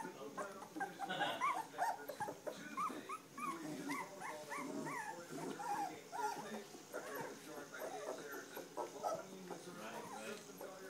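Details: Star and Levi's standard poodle puppies at three weeks old fill the stretch with crowded, high-pitched squeaky whines, each a quick rise-and-fall note. The calls are densest early on and thin out later, over faint human speech.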